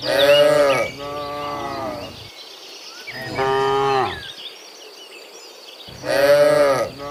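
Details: Cows being herded home from the fields to their pen in the afternoon, dozens together; three loud, rich, harmonic moos, the first and last strongest, with faint birds chirping in the quieter gaps.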